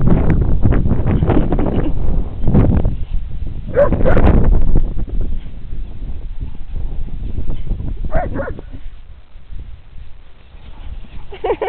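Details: Two Briards, Molly at 18 months and Fred at 7 months, playing on a green: short harmonic yelps and growly barks burst out around the fourth, eighth and eleventh seconds over a steady low rumble of wind and movement.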